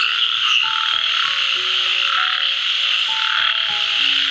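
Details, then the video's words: At night in a jungle resort at Purulia, West Bengal, a dense, continuous, loud chorus of frogs mixed with crickets, with soft background music. Frog. "ব্যাঙ ডাকছে, ঝিঝি পোকা ডাকছে।"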